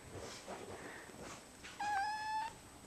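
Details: A male Balinese kitten, just woken and wanting to go back to sleep, gives a short, steady, slightly rising meow after a woman's soft talking.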